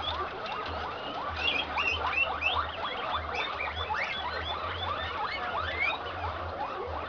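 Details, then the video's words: Male guinea pig of the improved Inti line, in heat, courting and mating with an improved Peru-line female on a Peruvian farm; quick bursts of high chirping squeaks over a low electrical hum. "COMO SE APAREAN LOS CUYES"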